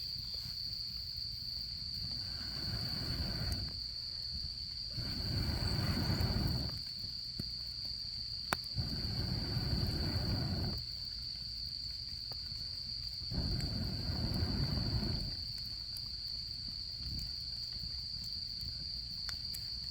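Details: Steady, high-pitched trilling of autumn insects carries on without pause while a campfire flares in repeated whooshing bursts every few seconds, with an occasional crack of wood.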